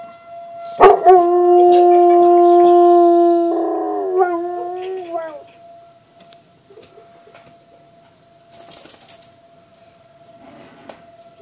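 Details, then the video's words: Pet dog howling at severe weather sirens on the first of the month: a loud, sustained wavering howl lasting about four seconds, breaking into rising and falling yelps, with a steady siren-like tone droning underneath throughout. "Crazy Dog Howl"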